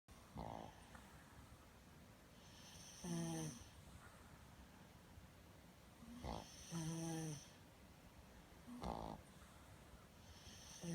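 A sleeping Boston Terrier snores loudly, with rough, rattling breaths coming every few seconds.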